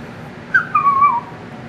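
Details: Chihuahua-dachshund dog talking to her owner on the phone while waiting for him to come home; a short wavering, whistle-like whine that slides up then falls, with a woman speaking softly around it indoors.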